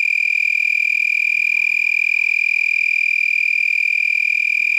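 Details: Several lacewings vibrating raised wings held high above the abdomen at night, about 10 pm on 8 November 2021, San Marcos, Texas, resembling a tree frog; a steady, high ringing trill with rapid pulses about four per second, unbroken throughout.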